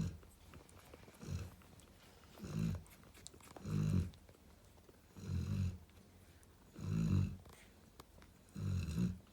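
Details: Narla, a female Cane Corso chilling with her babies, snores indoors: six deep, rumbling breaths spaced roughly every one and a half seconds, each a low rasping burst with quiet gaps between.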